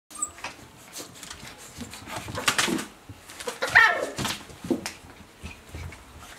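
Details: Puppies from one litter playing together indoors, giving short scattered whimpers and squeaky yelps among bumps and scuffling noises, with a few louder bursts near the middle.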